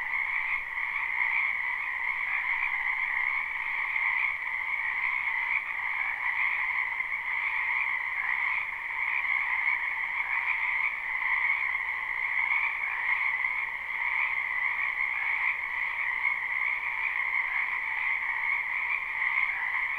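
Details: Large group of frogs calling in a wetland during spring, recorded live and unlooped: an even, continuous droning trill of croaks, very steady in volume, layered in a lower and higher tone.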